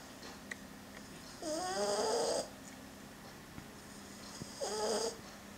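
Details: Udon, a male French Bulldog puppy, snores while sleeping with a plush toy: two drawn-out rasping breaths roughly three seconds apart, each with a wavering whistle-like tone and airy hiss, otherwise quiet room.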